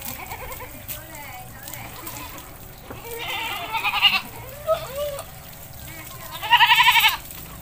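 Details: Domestic goat bathed in a village, with talking for most of the stretch before one strong, tremulous bleat near the end.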